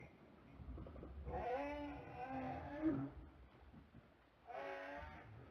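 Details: A southern right whale, a baleen whale, recorded underwater by hydrophone, gives a long, low-frequency moaning tonal call followed by a shorter second moan.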